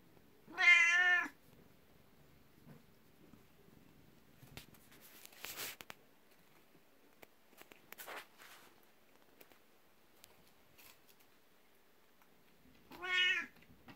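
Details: Indoor morning scene with a 12-year-old black cat named Beni, jealous of a 19-year-old elder cat and rubbing against legs for attention: two loud, bright, drawn-out meows, one at the start and one at the end, with soft household clatter between them.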